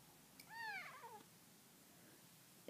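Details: A pet cat chatting with its owner indoors gives one drawn-out meow, rising then sliding down and trailing off, followed by quiet room sound and a brief knock at the end.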